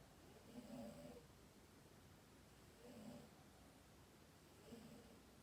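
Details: Sleeping domestic cat called Dayako gives three gentle snores about two seconds apart, each a soft nasal rasp with a low hum and faint higher overtone, against a hushed room.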